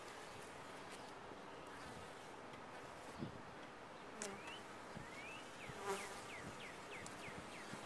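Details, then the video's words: A continuous droning hum from honey bees in a top-bar hive, with small birds chirping in short rising notes over it and a few soft knocks near the middle and end. "Bees in a topbar hive"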